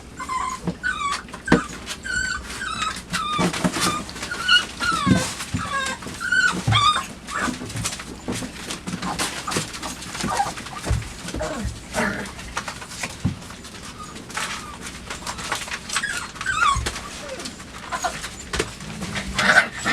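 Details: Puppies aged five weeks and two days explore, bite and claim a cardboard box in their night kennel, 23 September 2015; short high squeaks and yips recur throughout over constant clicking, chewing and rustling.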